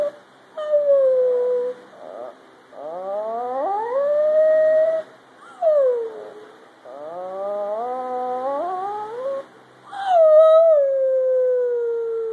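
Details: Chihuahua named Ren howling in answer to improvised human howls: a series of drawn-out wavering tones that rise and fall, in several overlapping phrases of two to three seconds separated by brief pauses.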